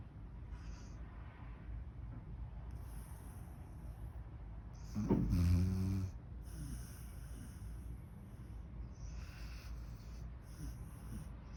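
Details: A six-year-old female hound mix, sound asleep and snoring. Steady low breathing rumble throughout, with one louder, harmonic snorting snore near the middle. The room is otherwise quiet.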